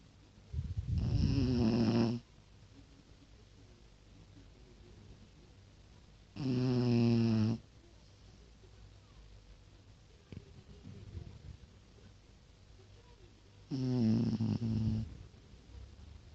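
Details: Snoring from Tosha, a much-loved Pekingese dog: three strong, vibrating, harmonic inhales roughly six to seven seconds apart, each trailed by a faint breathy outbreath, with near silence between.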